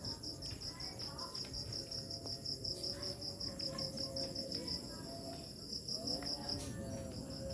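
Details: Village cricket at nightfall giving rapid, high, evenly pulsed chirps, about two or three per second, in long strings with brief pauses, over a constant higher insect drone and low ambient rumble.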